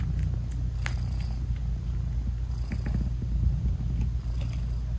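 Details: Purring from a British Shorthair mother cat with her tiny newborn kittens, a steady deep rumble with a pulsing rhythm, a few soft clicks and occasional brief hissing rustles.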